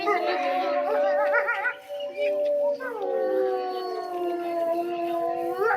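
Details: Grey wolves howling at Tama Zoological Park, Japan, around 3 pm: several long, wavering tonal howls overlap in a chorus, some steady and some sliding downward, with a pause near the middle.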